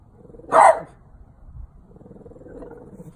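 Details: A 12-year-old French Bulldog barking at a St. Francis statue gives one short, sharp bark, then everything goes quiet.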